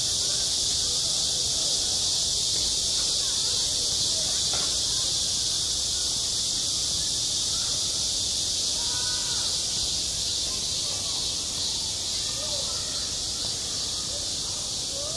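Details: Summer cicadas calling together at a school playground, their unbroken high buzzing drone filling everything, while scattered faint chirps and brief tonal sounds come and go far beneath.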